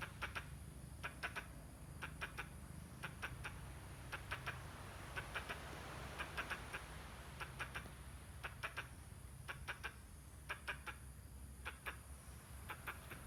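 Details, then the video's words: A squirrel gesturing and calling oddly gives short percussive clucks, bunched in pairs and triplets at a steady rhythm of about one burst per second, with a constant low background hum throughout. "Squirrel, making weird noise and gestures."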